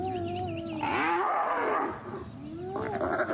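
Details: At sunrise on 11 January, a spotted hyena clan, including sub-adults, attacks one individual of unknown sex, targeting its ears as it struggles to escape; wavering squeals, whines, harsh groans and contact calls.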